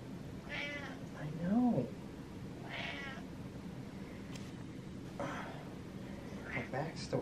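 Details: A happy pet cat meowing while getting belly rubs; several short meows, one a rising chirp-like trill, spaced a second or more apart, with a person talking softly in between.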